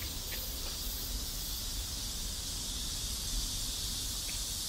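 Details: Steady shrill buzzing of cicadas in a neighborhood in South Korea, an unbroken high hiss-like drone with a few faint chirps and low background rumble.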